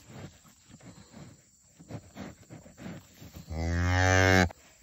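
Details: Cow that gave birth to a bull calf the same morning, calling near her newborn on a farm: a single loud, deep, richly harmonic moo lasting about one second, steady in pitch, following low rustling and handling noise, then people speaking.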